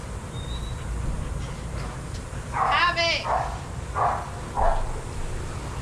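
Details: Shelter dogs at play in a daycare: one loud, tonal, rising-falling yelping bark near the middle, followed by two shorter softer barks, all over a constant low background hum.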